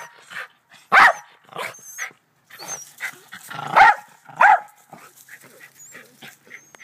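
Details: Barking black terrier in a back yard with two white Rat Terriers: one loud bark near the start, then two more close together after a pause, with scattered softer noises and faint talking between them.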